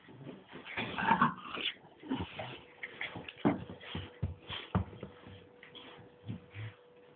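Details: Two dogs, a bulldog and a Staffordshire bull terrier named Bruise and Winston, playing together: irregular bursts of grunting, whining and snorting, with a few louder yelps, over a steady low electrical hum.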